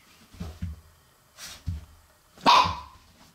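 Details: A black Shiba Inu puppy playing indoors because it is cold outside gives one sharp, bright yap near the end, after soft low thumps and scuffles of play.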